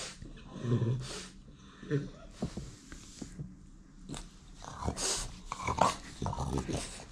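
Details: Domestic French Bulldog demanding attention from its owner, who is on his phone: short, low grumbles and huffs come in irregular bursts, with faint rustling between them.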